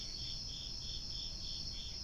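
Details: Crickets chirping outdoors after dark, almost 10 p.m. on September 9th, 2021: a steady high, shimmering trill with soft pulses about every quarter second, over low background rumble.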